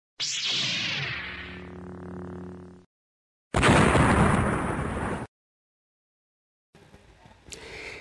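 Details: Separate bursts of effects: a falling whoosh with a ringing tone, a loud noisy roar, then faint crackles, with silence between and no animal voices.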